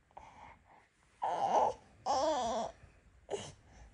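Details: A Norwegian Forest Cat, kept as a companion that stays near its owner, gives a faint murmur, then two drawn-out wavering meows about half a second each, followed by a short clipped one.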